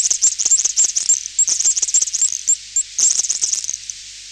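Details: Distant high-pitched clicking of a garden tiger moth, a defence blocking bat echolocation: nearly continuous rapid trains of sharp clicks with short gaps, crowded and uneven throughout.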